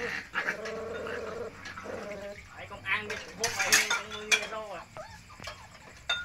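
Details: Puppies being fed give repeated thin, bending whimpers and squeals, some long and quavering, others short upward yelps, over dish clatter and background talk.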